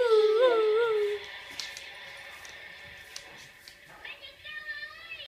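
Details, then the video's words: A male Irish Wolfhound howls again after hearing a recording of his own howl. A strong, quavering tone dips and rises for about a second, then fades. Fainter high, wavering howl notes follow indoors. "Irish wolfhound howling"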